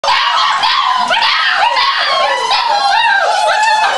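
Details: Litter of seven puppies almost six weeks old, eagerly awaiting meal time: a dense, continuous chorus of overlapping high yips, squeals and whines, loud and unbroken throughout.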